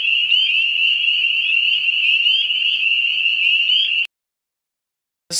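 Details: Ontario spring peepers, the year's earliest calling frog: about four seconds of continuous piercing peeping from a crowded chorus with quick upward-sliding notes, then sudden silence before the chorus briefly returns at the end.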